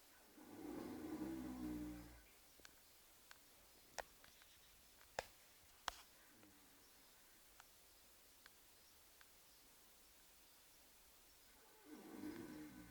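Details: Oscar, a horse, snoring while asleep: a low, throaty rasping snore lasting about two seconds opens the recording, then quiet with a few sharp clicks, and another rough snore starts near the end.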